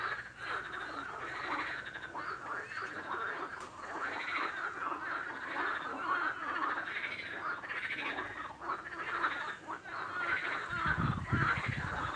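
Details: Chorus of frogs, many rapid pulsed croaks running together into a continuous buzzing wall of sound, with a few low thumps near the end.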